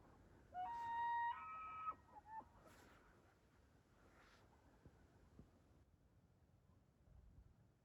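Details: In Rocky Mountain National Park at dawn, 38°F, a bull elk bugles to his harem on an early Sunday morning, captured by iPhone; a loud, flute-like whistle steps upward and holds for about a second and a half, then brief grunting fragments.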